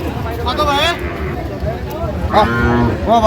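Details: Sahiwal breed bulls for sale at a busy cattle market in Comilla, Bangladesh, 9 January. Short bellowing moos break out, one early, one in the middle and one at the end, among men talking nearby.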